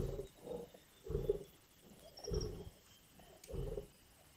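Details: Lions growling and snarling at a carcass during a kill in Indian bush: low, rough rumbling bursts about once a second, each swelling then fading, with a faint high chirp in the background.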